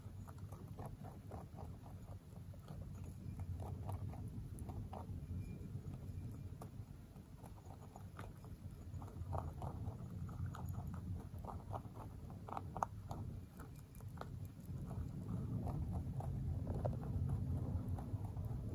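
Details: Pet mini rabbit, a male born November 3, 2020, crunching pellets. Scattered crisp crackles come in uneven bursts against continuous low-pitched background noise, with an aircraft passing close overhead during the recording.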